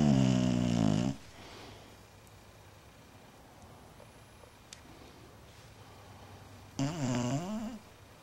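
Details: Bulldog snoring in its sleep indoors, one long, low, rumbling snore with rich overtones opening the recording, a quiet gap of several seconds, then a shorter, wavering snore near the end.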